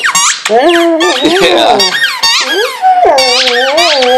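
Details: A Vizsla dog indoors whining and howling at a squeaky toy: long wavering tonal howls that slide up and down, rising into high whines, with a person speaking over parts of it.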